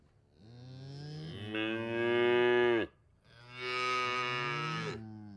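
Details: Cattle lowing in two drawn-out moos, each starting low and swelling into a loud, rich, nasal bellow before fading, with a brief pause between them and faint background hiss.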